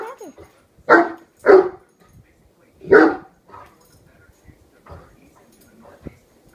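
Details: Barking incessantly at a hairbrush, a one-year-old Great Dane lets out two quick deep barks followed by a third after a pause, then quieter sounds and a person speaking softly.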